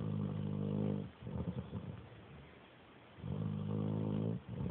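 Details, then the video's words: Sleeping dog snoring like a little pig: a long droning, harmonic snore opens, followed by shorter rough sputtering breaths, then another sustained snore lasting over a second near the end. "My mom's dog snores like a little pig"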